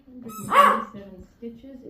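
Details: A dog that has just found his turkey gives a short, tonal howling yowl that swells loudly mid-way and then trails off into lower moans, with a person's voice faintly behind.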